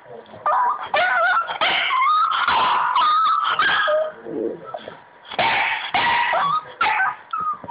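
A Boston Terrier whines for attention in wavering, high-pitched cries with short yips.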